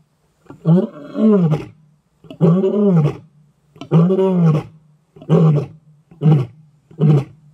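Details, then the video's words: A big male lion in Greater Kruger National Park gives contact calls, deep moaning roars giving way to shorter, quicker grunts. "big male lion contact calling in greater kruger national park"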